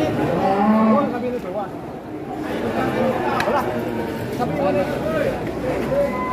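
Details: A big fattened bull in an arriving group of giant cattle gives a short, deep moo near the start, followed by softer lowing, with people chatting and handling noise nearby.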